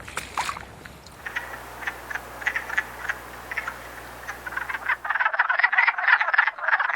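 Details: Wood frogs in Canada on 21 April, just out of hibernation and gathered at a temporary forest pond to mate, form a chorus of short, rapid clucking croaks. The calling grows dense and overlapping during the final two seconds.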